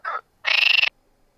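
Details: In a pond on an April–July evening or night, a male common frog gives a short croak, then a longer, rapidly pulsed rattling call to court females, who prefer longer-lasting calls; calls also mark territory against rivals.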